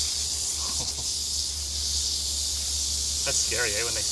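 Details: Eastern diamondback rattlesnake in Florida rattling as a person handles it with a stick. A continuous sizzling buzz holds steady throughout, while a man's voice speaks briefly near the end.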